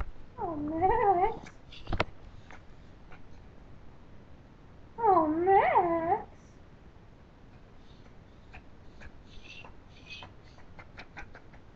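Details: Pet Pomeranian named Max crying for the owner's rice: two drawn-out, wobbling whines about a second long, with faint clicks and soft room noise between them.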